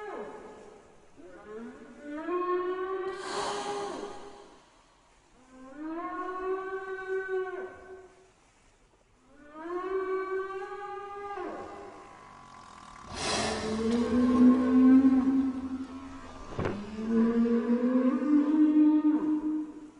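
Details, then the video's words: Whale calling underwater in a series of rising, harmonic moans, each sweeping upward over about two seconds, repeated in three groups, followed by longer wavering tonal moans and a brief broadband burst. "صوت الحوت"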